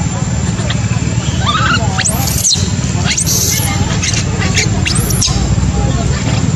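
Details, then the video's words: Macaque infant, abandoned by its mother, crying: a few soft wavering coos, then repeated arching shrill screams rising and falling sharply, about one per second, over heavy low background noise. "Poor baby monkey was abandoned by mother monkey, crying heartbreakingly"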